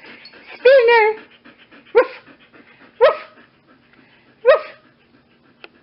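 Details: Female Siberian Husky at a rescue, awaiting adoption: a drawn-out, wavering woo-like cry, then three short sharp yelps about a second apart, with a woman talking fondly over it.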